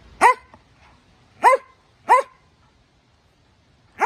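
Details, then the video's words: Norwegian Elkhound barking during Sunday wrestling play with another dog: four sharp, ringing barks with a quick rising-then-falling pitch, irregularly spaced with near silence between them. "Elkhound barks"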